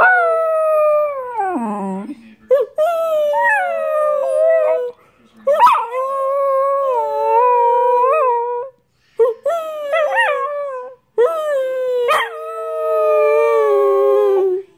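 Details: Howling dog giving long drawn-out notes that slide downward, then resume in wavering, sustained phrases separated by short pauses, some notes breaking with quick yips.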